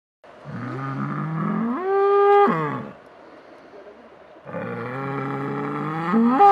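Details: Cow lowing in two long moos, each starting low and rising into a strained, higher-pitched bellow before dropping, separated by a short pause.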